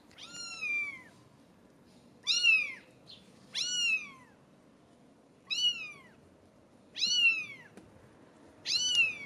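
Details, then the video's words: British Shorthair kitten at 17 days old calling with clear, drawn-out high mews that fall in pitch at the end, six calls spaced one to two seconds apart in a quiet room. "British Shorthair Kittens Meowing so Cute!"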